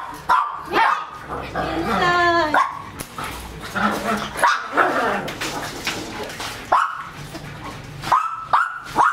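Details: German Shepherd x Labrador cross dog during bath time letting out a long pitched yelping whine, then sharp repeated barks and short yips, with a person speaking between the calls.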